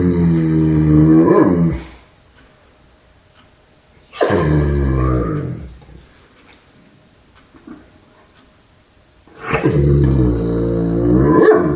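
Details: German Shepherd dog making purring noises: three long, low, rumbling harmonic grumbles, each about two seconds, separated by quiet pauses of two to three seconds, in a small indoor room.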